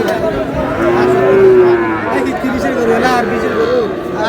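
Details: Sahiwal bull calf in Mymensingh, Bangladesh, on 7 May, with one drawn-out mid-pitched moo that swells and fades over a second amid steady crowd chatter and men bargaining nearby.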